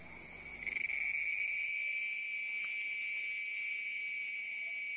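A cicada sings a loud, steady, shrill buzz that starts abruptly and holds without pause.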